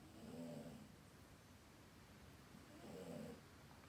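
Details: A sleeping cat snoring: two soft, low, rasping breaths about 2.6 seconds apart in a quiet indoor room.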